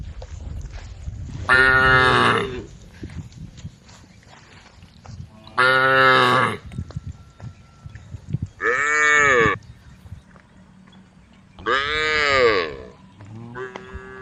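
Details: Tame cows, all female, standing on a road and calling the herd: four loud arched moos about every three seconds, plus a short final one, over a noisy outdoor background.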